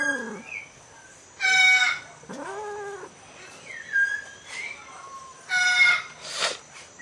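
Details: Asian leopard cat mating with a Bengal cat in a hybrid pairing: harsh, broadband screeching bursts near two and six seconds, a drawn-out yowl that rises and falls around two and a half seconds, and short squeaky calls in between.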